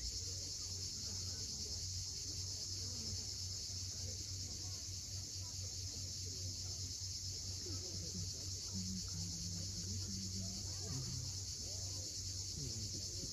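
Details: At sunset on the Crimean coast near Cape Fiolent, cicadas keep up a continuous high-pitched buzz, while low surf rumble and faint bird chirps sit underneath.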